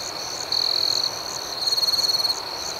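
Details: At night, crickets trill shrilly; one loud, steady trill lasts about half a second, followed by a rapidly pulsing, throbbing burst, all over an even high chorus.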